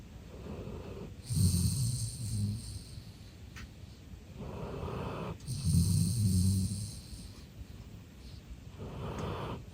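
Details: Golden retriever Eve, a male born 13 October 2021, asleep and relaxed indoors, snoring: two long, low, rumbling snores about four seconds apart, each a rough drawn-out buzz with a breathy hiss on top, quiet breathing between.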